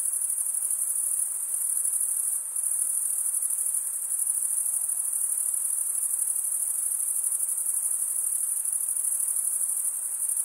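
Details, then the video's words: Crickets chirping at night in a summer forest: a dense, steady high-pitched shimmer from many insects, unbroken for the whole stretch apart from a faint dip near the middle, with no other clear sounds. "Pure cricket music for 20 min"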